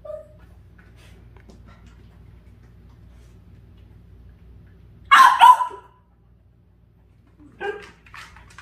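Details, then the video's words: After a long quiet stretch with low hum, a Dachshund reacting to a puppy caught by the air conditioner gives a loud, rough double bark. A softer, shorter bark follows about two seconds later. "에어컨 사이 낀 강아지를 본 닥스훈트 반응?"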